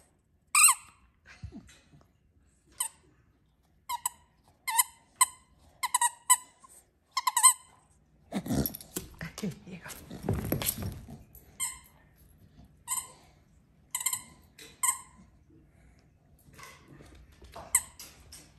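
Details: Staffordshire Bull Terriers Piper, a talkative 10.5-year-old female, and Taz, a 12-year-old male, begging for their toys indoors at home in Alaska; short, high, squeaky whimpers repeat about a dozen times, with a rustling burst partway through.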